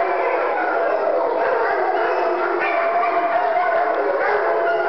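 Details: Several domestic dogs howl together, one starting and the rest joining in; a dense, continuous chorus of overlapping, wavering mid-pitched howls that holds steady throughout, with no pauses.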